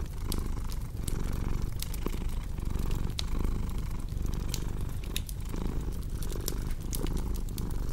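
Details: Soft low purring from a domestic cat runs beneath frequent dry crackles and sharp pops of a fireplace, the rumble gently pulsing with breaths; cozy ASMR ambience for insomnia relief.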